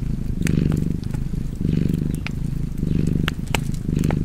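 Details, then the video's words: A cat's deep purr throbs in repeated breath cycles about a second long, accompanied by snapping and crackling from a wood fire. "Purring Cat and Fireplace 4K / Wallpaper Tv Art Çerçeve / Cozy Purring Cat ASMR / Kedi Mırlaması"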